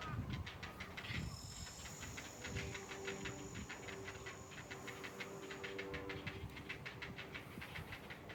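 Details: Ezo haru-zemi cicada singing unseen in trees at Odawara Castle, heard on a walk: a steady train of rapid, rasping pulses, about five per second, under strong rumbling wind noise.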